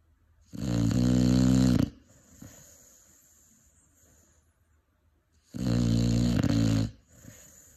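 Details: Snoring Cane Corso puppy, five months old, asleep indoors; two loud, rough, buzzing snores over a second long each, separated by about four seconds of soft, airy breathing.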